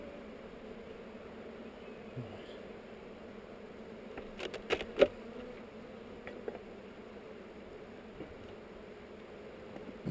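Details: Honey bees humming steadily at a hive on heather during an inspection, recorded with a GoPro; a low, even drone with scattered handling clicks and knocks around the middle.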